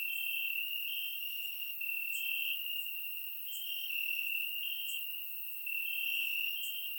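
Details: Crickets chirping at night in grass during warm summer in Bulgaria, surround-microphone recording; a bright, unbroken high trill with gentle swells in loudness and faint higher clicks, no other animals or people.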